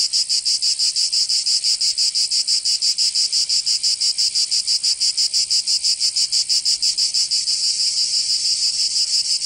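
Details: Provençal cicadas in summer, southern France: harsh high-pitched rattling buzz throbbing in fast, very regular pulses near three per second, swelling slightly louder toward the end.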